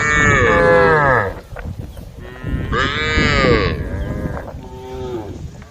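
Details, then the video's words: Cows of a herd on the road calling: two long, loud harmonic moos, each about a second, the second rising then falling, followed by a quieter, shorter lowing at the end. "herd of cows on the road the sound of cows calling the herd"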